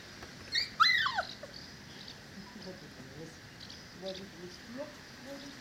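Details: A four-week-old Dogo Canario puppy lets out a loud, high, sliding whine that drops sharply in pitch, followed by softer low murmuring sounds and faint whimpers against a quiet background.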